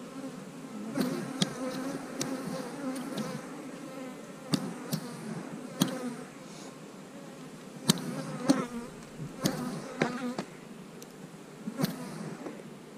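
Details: Honey bees buzzing as hives are split, with queen cells in the splits; a low drone beneath repeated sharp knocks and clicks from handling hive equipment.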